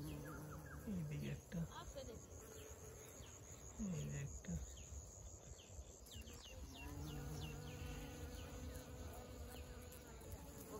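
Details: Honey bees working flowers for nectar in a field full of bees, recorded up close; individual buzzes pass by with brief pitch sweeps around one and four seconds, over a continuous low hum and soft high chirping.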